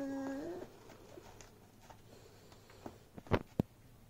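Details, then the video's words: A Beagle puppy tussling with a bag lets out one short, level whine that dips at the end. Crinkling and thumping from the bag follow, with two sharp knocks near the close. "Beagle puppy Vs Bag"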